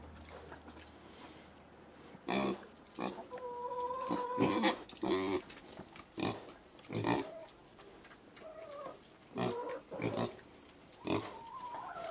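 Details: Little pigs in China giving loud broadband grunts and snorts at irregular intervals, with thin whistling tones in between and a low hum at the start.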